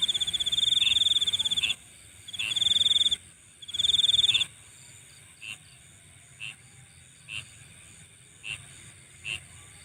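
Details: Insects at night: three short bursts of a high pulsed trill early on, then only a faint shrill background chorus with soft chirps spaced about a second apart.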